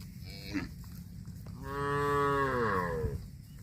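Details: Cattle grazing on grass: after a faint brief sound, one long, loud moo of about a second and a half, full and harmonic, sliding downward in pitch toward its end, over a steady low rumble.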